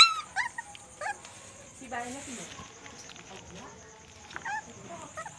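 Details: Puppies quarrelling and playing at night: short high yelps and whines, a few rising squeals, with faint speech and a steady high electrical hum behind.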